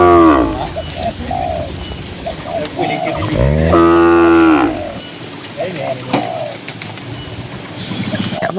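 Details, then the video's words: Cows in a green pasture, dozens of them walking leisurely; a low rumbling start, then one strong, long, arching moo midway, against a steady noisy background with faint short notes. "Cows & Funny Moo Sounds"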